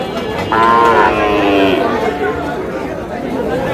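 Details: A Sahiwal breed bull calf from Comilla, 3 June, lets out a single loud moo of about a second, rising then falling, while people talk around it.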